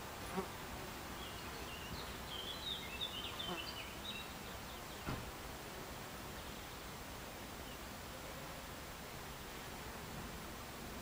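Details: Buckfast honey bees in an alternative beehive, recorded July 29, 2013: a steady, dense insect drone fills the background, with scattered higher buzzy notes around two to four seconds and a couple of brief knocks.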